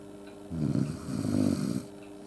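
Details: Akita named Yuki snoring while asleep beside a stove with its owner on a quiet, snowy night, a thin futon draped sideways; one long, loud, low rumbling snore of about a second and a half, steady hum in the background.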